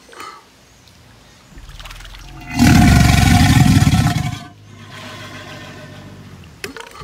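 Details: Crocodile growl: one loud, rough, deep rumbling burst lasting about two seconds, rising abruptly out of quieter low noise and then dropping away, with softer rasping before and after.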